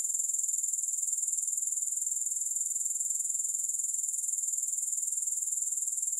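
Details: Steady shrill insect trill from grasshoppers, no music: a high, hissing buzz beating evenly at roughly four pulses per second throughout, with no other sounds.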